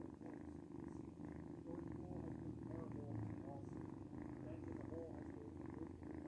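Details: Cat purring indoors, described as noisy: a low, steady rumbling hum continues throughout, with a person speaking over it.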